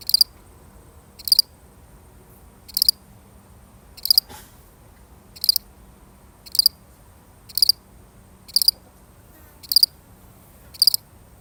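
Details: A single cricket chirping alone, real recording; steady high pulsed chirps repeated about every second, ten in a row, with a brief faint click midway and little else.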